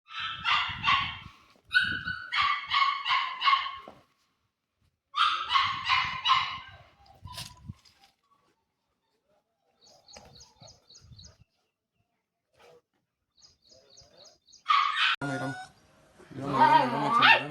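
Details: Puppies of several breeds, including Great Dane, Chow Chow and American Bully; bursts of high yappy barks in quick runs, a quiet pause with faint squeaks, then a long wavering whine near the end.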